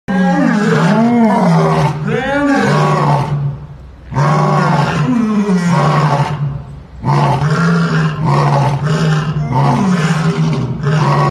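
A lion gives deep, loud, rumbling roars in three long bouts with brief pauses between them.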